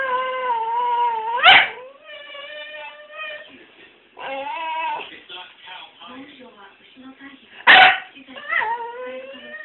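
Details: Pet dog indoors in Japan, staring and whining on and on until taken for a walk, giving long, wavering, talk-like whines and yips in varying pitch, with a sneeze and a television news broadcast in the background.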